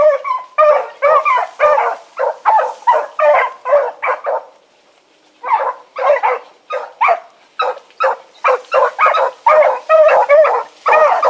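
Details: Pack of four hounds, Choco, Dino, Johnny Ringo and Mingo, running in the evening of 16 August 2014 after being put down. Rapid overlapping barks and bawls in dense bursts, a brief pause near the middle, then steady barking resumes.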